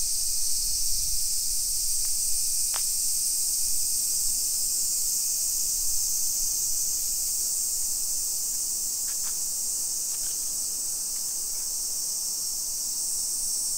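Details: At 1 PM on 28 July 2021 in suburban Nisshin near Nagoya, Japan, summer cicadas keep up a dense, high, unbroken buzzing. Brief sharp clicks and ticks punctuate it, and low rumbles sound near the start.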